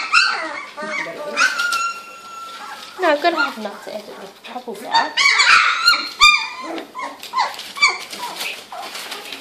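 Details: Two- to three-week-old female Labrador Retriever puppies at a Gold Coast, Australia kennel, playing and trying out their voices: drawn-out, tonal whines and short squeaks overlap quickly, with small yelps scattered throughout.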